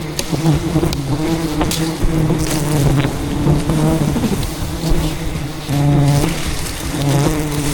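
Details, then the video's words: Thousands of angry wild bees in rainforest, attacking to defend their colony as a giant hidden hive is harvested by a honey hunter: a dense, continuous low hum with shifting tones, plus rustling and crackling close by. "ATTACKED by Angry Bees While Harvesting a Giant Hidden Beehive"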